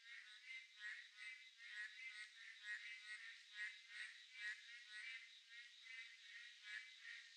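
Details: Boreal digging frogs call together in a dense chorus on a midsummer night, each voice a nasal, buzzy bleat repeated about once a second, blending into a continuous pulsing wall of sound.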